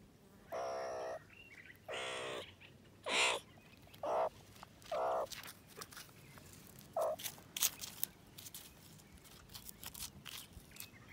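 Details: Playful meerkats enjoying the sunshine, one in a scratchy mood, give short, rough, mid-pitched calls in irregular bursts, with clicks and scuffling between them.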